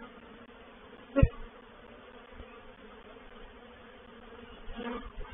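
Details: Honey bee reproductive swarm moving into a bait hive (swarm trap) at Painted Peacock Manor on 04/07/21. A steady low hum with a sharp knock near the start and a brief swell of buzzing toward the end.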